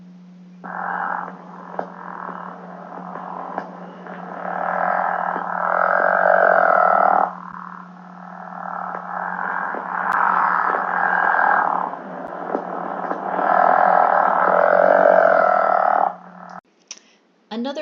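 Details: A male pickerel frog gives its spring breeding call in Michigan, where it is a species of special concern: a soft, steady snore of rapid pulses, quieter, more regular and less far-carrying than a northern leopard frog's.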